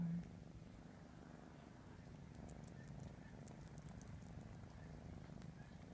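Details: A 3.5-month-old kitten purrs steadily while grooming his siblings indoors, a continuous low rumbling drone with faint higher clicks from licking scattered through.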